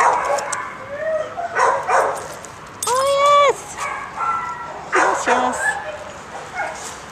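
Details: Domestic dog giving high, whining yips and a drawn-out whimper rising then falling, several short squeals in bursts, with a woman's cooing praise between them.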